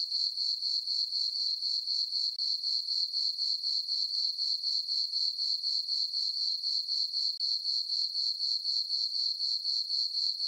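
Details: High, evenly spaced chirps of crickets, around four a second, from a farm meadow on a peaceful summer night under the full moon; no other sounds.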